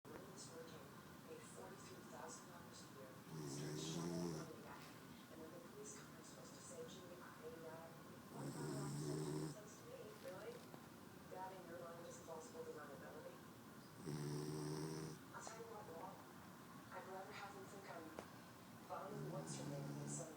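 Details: A French Bulldog sleeping upside down snores in deep, rasping bursts, one long rattling breath roughly every five seconds.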